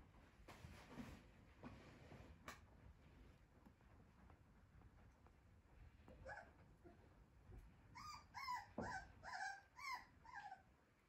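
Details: Male black Shiba Inu indoors: after quiet room noise, a quick run of about six short, high, whimpering yips near the end, each rising then falling in pitch.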